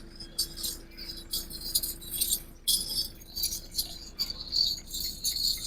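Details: Bright, irregular jingling of small bells rises and falls over a faint steady hum; no animal voice stands out.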